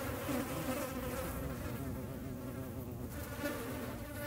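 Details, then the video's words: European hornets filmed in nature in the Eifel: a dense, continuous low-pitched buzzing drone with strong overtones, loud and close throughout, rising slightly at the very end. "Hornissen. Hornet"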